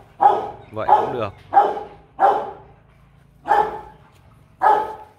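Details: Rottweiler Kute Gervi, aged 15 months and bred from champion Bruno tí hon and Cynia Gervi, lets out six gruff barks, the first four quickly and the last two after a pause.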